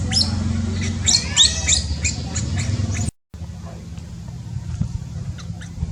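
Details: Cambodian newborn monkey squealing rapidly in the first three seconds, a cluster of piercing high chirps with some wavering tones. A brief silence follows, then only faint scattered squeaks over low rumble.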